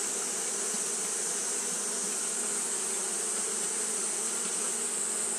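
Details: Continuous fanning hum from a colony of Japanese honey bees during hot weather, many wings blending into one level, airy buzz with a faint low drone and no pauses.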